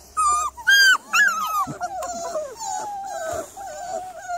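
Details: Evening of 3rd July: a Miniature Labradoodle gives a few sharp, rising-and-falling whimpers, then a long, wavering, thinner whine that trails off and wobbles steadily to the end.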